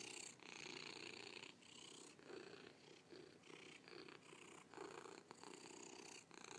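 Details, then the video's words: Close, steady cat purr, a raspy vibrating drone pulsing with each breath roughly every second, the exhale phases slightly louder, and no other sounds around it. "Purring Cat"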